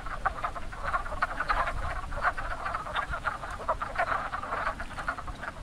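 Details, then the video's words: A chorus of wood frogs at a very active breeding pond in spring gives rapid, duck-like clucking croaks that overlap into a steady chatter. "Wood Frogs Calling in Spring"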